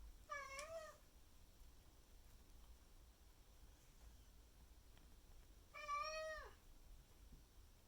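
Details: Indoor Maine Coon called Miku demanding breakfast from her owner on a May 2021 morning; two drawn-out, wavering meows with rich harmonics, about five seconds apart, over quiet room noise.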